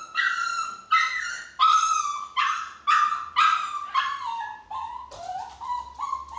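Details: Chihuahua, described as a smart dog getting out through a window, giving a series of about eight high, whining yelps with strong harmonics, each lasting half a second, repeated steadily, ending in lower, drawn-out whimpers.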